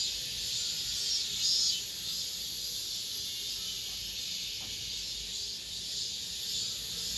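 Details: Late-summer cicada chorus within an apartment complex, the season's last: steady shrill droning buzz, swelling and fading slightly, with faint low background rumble.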